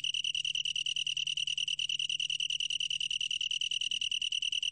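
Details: A long-tailed tree cricket's continuous song: a bright, bell-like high trill of fast regular pulses at an unchanging pitch, holding steady throughout over a soft low background hum.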